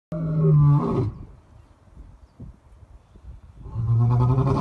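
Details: A white lion (Panthera leo) gives two deep, booming roars separated by a quiet breathing pause; lion roar.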